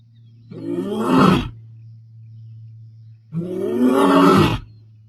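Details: Male Bilashaka lion in Kenya's Masai Mara roaring to proclaim dominance, 22 May 2025; two drawn-out, throaty roars of about one second each, roughly three seconds apart, with a constant low mechanical hum underneath.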